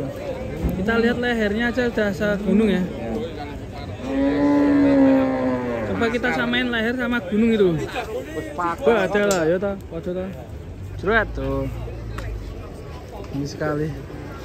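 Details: Giant cattle at a fattening center give a long, level, deep moo in the middle, surrounded by people talking in Indonesian and crowd noise.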